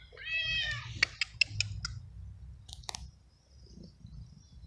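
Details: Abandoned stray cat in a garden, fed and petted every day, gives one long, wavering high meow lasting nearly a second. Sharp clicks and taps follow over a low steady hum.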